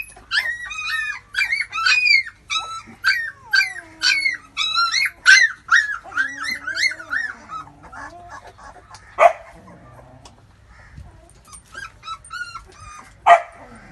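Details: Labrador pups feeding from their mother squeal in quick rows of sharp, arched whimpers at first, then fade to sparse soft whines with a couple of sudden louder yelps.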